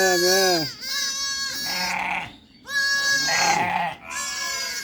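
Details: Sheep entering their house on the farm after coming home from pasture; loud, close, wavering bleats, a long one at the start, followed by several more in quick succession, with a brief gap in the middle.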